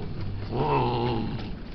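A Persian cat gives a low, drawn-out meow that rises slightly and then falls away.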